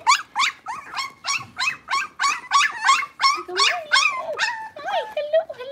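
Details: Six-week-old blenheim Cavalier King Charles Spaniel puppies, a litter of five kept in a home puppy pen, yelp in rapid high-pitched bursts, about three per second, each rising then falling, steady and insistent throughout.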